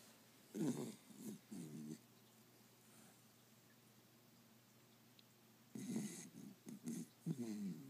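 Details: Sprite, a five-month-old Pembroke Welsh Corgi puppy, sleeping and snoring: clusters of three or four short, nasal, whistly snorts, a long quiet stretch of soft breathing, then another burst of snuffling snores.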